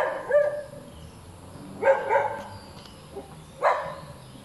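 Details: A hyperactive dog that keeps on barking gives three sharp barks, the middle one a quick double, roughly every one and a half seconds against a low background drone.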